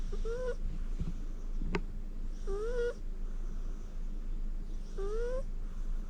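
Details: Shirokoro, a rescued cat, snoring while napping on its owner's lap, with no background music: soft, nasal, whistle-like notes rising in pitch, repeating about every two and a half seconds, with one sharp click between them over a quiet low hum.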